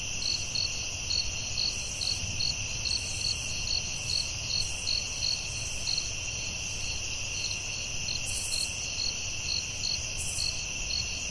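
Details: Crickets calling at night in a forest: a steady high trill over a continuous shrill buzz, with short pulsed chirps repeating about twice a second and faint low rumble beneath.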